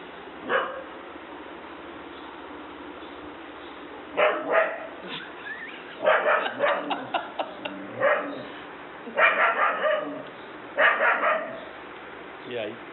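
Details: German Shepherd indoors reacting fearfully to a small toy dog, barking in irregular clusters of rapid, rough barks separated by short pauses, with quiet room noise between.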